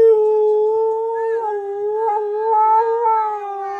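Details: Siberian Husky vocalizing, angry at its owner for talking over him; one long, sustained, slightly wavering howl-like tone with rich overtones, holding steady pitch with small wobbles, recorded indoors.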